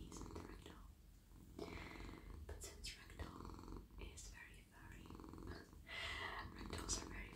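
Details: Soft, friendly male house cat purrs continuously while petted on a lap, a deep pulsing rumble running under intermittent whispered speech and brushing noises from stroking fur.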